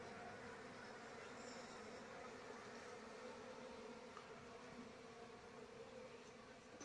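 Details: Asian honey bees (Apis cerana) from a wild colony being moved into a cultivation box after the queen is caught; a steady, dense, droning hum of many bees fills the whole stretch without pause.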